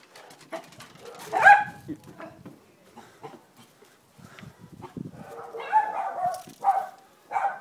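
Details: Female Jack Russell-Fox Terrier cross, adopted from a shelter, barking at a Labrador while her owner urges her on; clusters of sharp barks with spoken encouragement mixed in.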